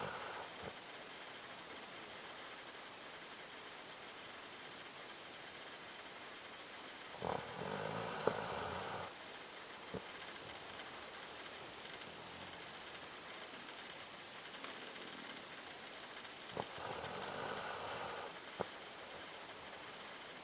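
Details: Doberman dog snoring like a man: two rough, rasping snore breaths about nine seconds apart, each lasting around a second, over steady low background hiss.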